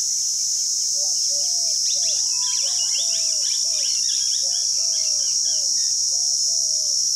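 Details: Cicadas in Rajsamand, Rajasthan, India give a steady, high buzzing drone throughout, with birds whistling and chirping over it.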